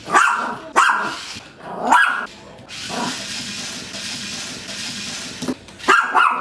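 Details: A Maltese puppy playing with a toy spider gives sharp, high-pitched barks in short bursts, with a brief growly patch between.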